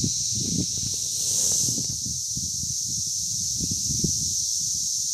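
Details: Brood X periodical cicada males singing their mating call on May 24, 2021 in Hidden Valley, Indiana: a steady, dense high-pitched whining drone holding without a break, with low rumbling noise and scattered knocks underneath.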